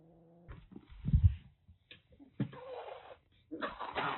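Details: A rescued kitten taken in just before a typhoon in Kagoshima, Japan, hissing defensively: short low growl-like bursts, then broad noisy hisses around two and a half and three and a half seconds.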